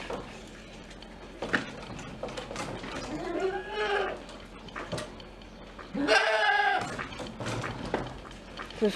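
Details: Cameroon goats in a petting village at Novosibirsk Zoo, including newborn kids on 1 February 2024, bleat in short, wavering, nasal calls while a person talks nearby.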